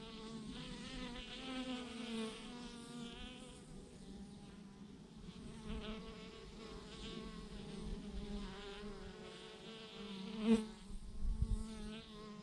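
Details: Honey bees by the thousands massed on a branch, humming steadily; layered drone with wavy overtones, a sharp close buzz near the end and a few low thumps.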